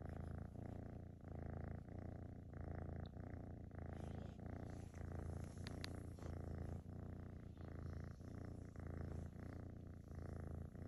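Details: A young female tortoiseshell kitten, half Maine Coon, purrs with a deep, steady rumble that swells and fades with each breath while being petted close up.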